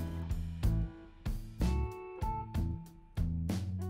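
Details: Strummed acoustic guitar chords ring out in a slow, steady rhythm, with no animal voice audible.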